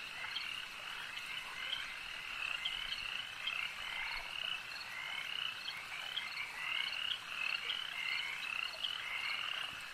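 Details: Many frogs croak together at a lake, their high rattling trills and repeated chirps stacking into a constant, shimmering chorus with slight swells in volume.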